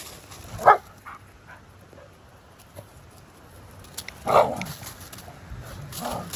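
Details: Dog barking outdoors: two short, sharp barks about three and a half seconds apart, each punchy and mid-pitched, over a faint low background rumble.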